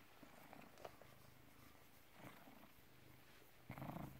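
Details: British Shorthair cat, born 18 August 2010, recorded 16 November 2017 at 16:33; low, steady rumbling purr with soft pulsing throughout, a brief louder rustle near the end.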